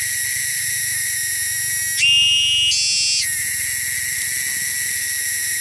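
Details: Cicadas in the wilderness make a loud, shrill, continuous high drone; partway through the tone jumps higher for about a second, steps up again briefly, then drops back to the steady buzz.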